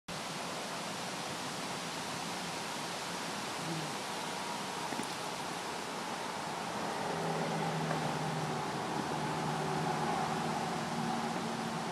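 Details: Steady broadband outdoor noise like rushing water or wind, with faint low hums and no animal voice.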